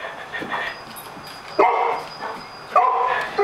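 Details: Indoors, a Mastiff reacts to a cat shown on television with short, sharp yelping barks, two loud bursts about a second apart after quieter whines, with television sound in the background.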